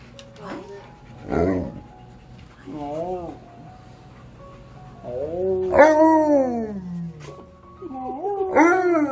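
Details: Pet Alaskan Malamute howling together with a husky at home, excited at a reunion with a friend; arching, wavering woo-woo howls rise and fall in short bursts with pauses between, while a man speaks quietly at points.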